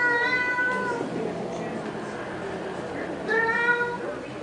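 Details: Cats quarrelling over a pink Mustang give two clear, tonal meows, one at the start and one near the end, separated by a quieter stretch of low rustling.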